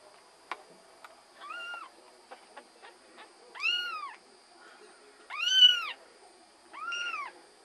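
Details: Kittens lying in a basket with their mother cat Tasha: four high, arching meows, each rising then falling and about half a second long, spaced one to two seconds apart, with faint soft clicks and rustles between them.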